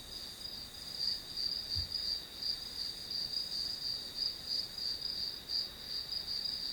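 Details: Grass insect chorus as background white noise for a study session: a continuous high, ringing trill swelling and fading roughly three times per second, with a low soft bump early on.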